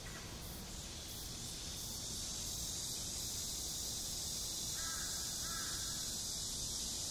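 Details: Summer cicadas in front of Gwanjeong Library at Seoul National University hold a continuous shrill, hissing buzz. Two brief chirping bird notes come near the end.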